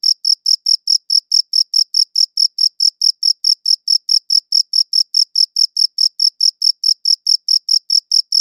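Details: Chirping cricket, recorded with a good audio recorder, giving bright, high-pitched chirps at a fast, regular pace of roughly four per second against silence.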